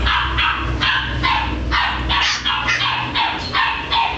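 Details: Corgi barking in quick succession, sharp barks with breaks, roughly ten in about four seconds, each bark strong and steady with no other clear sounds.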